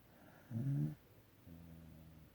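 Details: Sleeping dog snoring: two low, rumbling breaths, a louder rasping snore lasting about half a second, then a softer, longer one a second later, in a quiet room.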